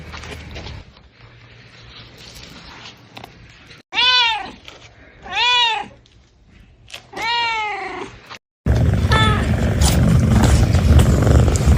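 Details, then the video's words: Cats calling in a bamboo tree while hunting for food and drink; three loud, arched meows about 1.5 seconds apart, followed after a cut by a noisy stretch with a fainter meow. "The sound of a cat meowing in a bamboo tree, calling"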